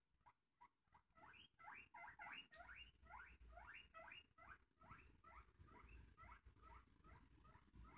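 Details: Panda Bear, a pet guinea pig, going wild to say hello: a rapid run of about eighteen sharp, squeaky, upward-sliding whistles, several each second, steady at first then spacing out, over a faint low rumble.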